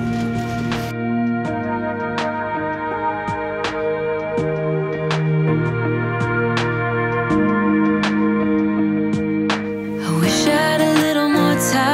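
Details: Soft instrumental music of plucked strings and keyboard notes, with steady low chords and a brighter swell near the end. No animal voice can be heard.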